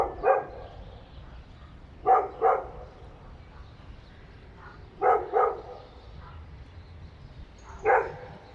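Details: Short single and double barks from about three dogs inside an apartment building, repeated every few seconds and disturbing neighbours; the barking is said to last for many hours.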